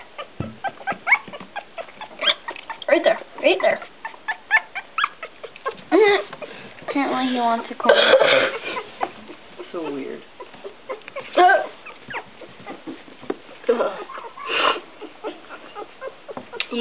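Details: One-week-old Smooth Coat Collie/Coon Hound/Pomeranian mix puppies, Bella, Kooper and Boy, indoors in a small room: short ticking bursts, then wavering, harmonic squeals and whimpers near the middle, with a person talking softly throughout.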